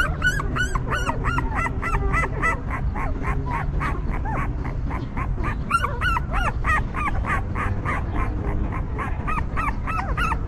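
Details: Stray mother dog's newborn litter crying: dense, continuous run of short arched squeals and yips from several puppies throughout, over a rumbling low background noise.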